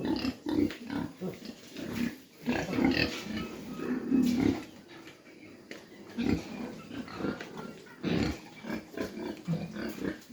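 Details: Mini pigs kept on a farm in Dimapur, Nagaland, grunting in short low snorts, sometimes clustered, separated by quieter gaps of one to two seconds.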